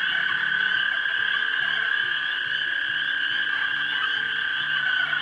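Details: Mating frogs at a pond around dusk in March 2011, captured with a 3 megapixel camera: a continuous, even chorus of shrill trills, with soft low notes pulsing regularly underneath throughout.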